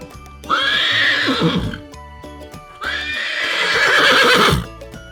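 A horse neighs twice, each a loud, shaky whinny of about two seconds that trembles and falls away, over soft background music.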